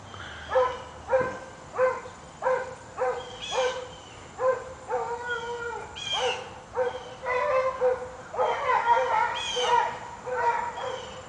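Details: Two hunting dogs, one black, barking while trailing a rabbit that ran about 20 yards off to the right; short hoarse barks repeat roughly every half second to second, two voices taking turns, outdoors.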